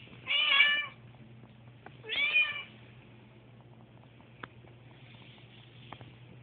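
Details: Pet cat Susie, uneasy during a house move, utters two short high meows about two seconds apart, followed by quiet clicks and a faint background hum indoors.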